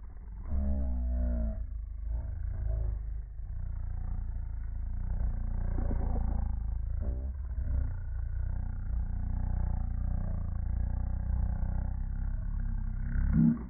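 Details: Boston Terriers squabbling over a ball their owner holds, each wanting it: deep, rough, sustained growls rumbling low and steady for most of the stretch, with a few brief higher harmonic snarls early on and near the end.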